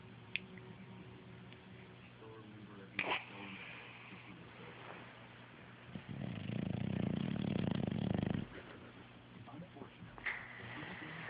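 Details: Sleepy English Bulldog named Rocky taking his time waking up in the morning, letting out a single drawn-out, buzzing low snore of about two seconds amid soft rustles and faint indoor noises.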